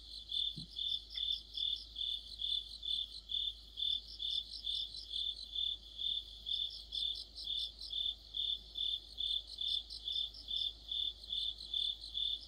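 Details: Chorus of crickets and other insects in autumn near a streetlight; loud, regular high chirps about twice a second, with overlapping faster bursts from a second singer and a short click early on.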